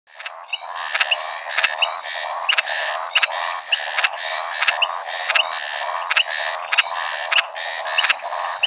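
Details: Maracas snouted treefrog, Scinax eurydice, a shy Brazilian species, calling in a steady series of harsh, rattling croaks about every 0.7 seconds, with brief sharp whistled notes between them and a dense background chorus.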